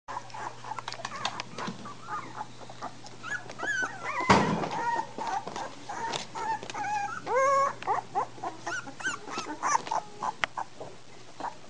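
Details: American Bulldog puppies, three weeks old, a litter filmed 27 March 2008, whimpering and squealing in many overlapping high, bending cries with short yips, one loud thump partway through and a steady low hum underneath.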